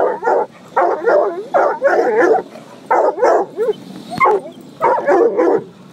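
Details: Gunner, a coonhound mix, defends his family from a car wash with rapid bursts of harmonic barking and yelping, over loud roaring brushes and water noise and a sharp click.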